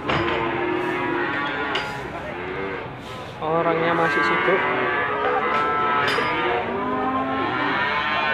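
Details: Limousin cattle bellow at the Gondanglegi livestock market, Malang, East Java, 12 February 2020. Overlapping moos, one low and steady and others higher and wavering, mix with metallic clinks and brief knocks.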